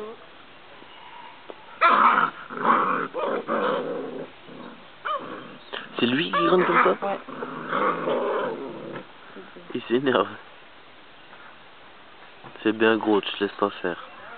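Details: Akita Inu puppies play-fighting, the smallest described as furious and getting worked up. Rough growls and short yelping bursts mix with French speech throughout.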